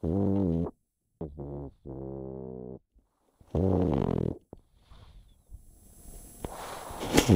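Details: Snoring from a sleeping pet pug called Chip: low buzzing drones and a rough snort, after which rustling and handling noise builds toward the end.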